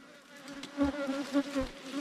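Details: Droning hum of wild ground-nesting bees, a small cavity-dwelling wild bee from a nest under the earth, dug out by honey hunters in Thailand. Even buzzing tone throughout, with dull thuds pulsing roughly every quarter second.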